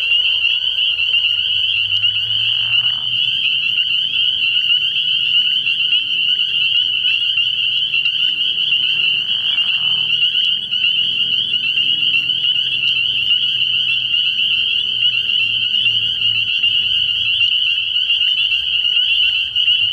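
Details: Spring peepers calling together at a frog pond at night early in the year: a dense, unbroken high-pitched shrill of overlapping peeps, with brief lower rustling bursts around two and nine seconds.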